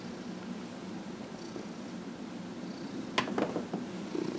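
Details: Fifteen-and-a-half-year-old housecat Dillard purring during a massage indoors; a faint low continuous purr, then sharp clicks and brief handling noises near the end.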